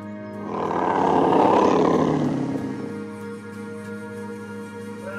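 A tiger gives one deep, rough roar that swells for about two seconds and fades, over steady background music.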